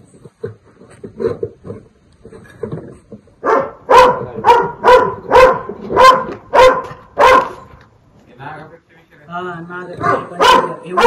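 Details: Dog confronting a Russell's viper, giving a rapid run of loud, sharp barks about twice a second in the middle stretch, with people talking in Marathi before and a few more barks at the end.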